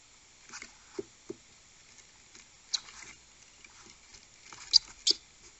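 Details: Two hungry skunks in a backyard fighting over the same snack, territorial and guarding their food. Scattered short squeaks and sharp chattering bursts over a quiet background, with a louder pair of bursts near the end.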